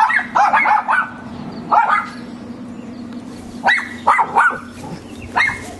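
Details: Neighbour's dogs barking: bursts of sharp barks in quick clusters of two to four, separated by short pauses, with a steady low background hum.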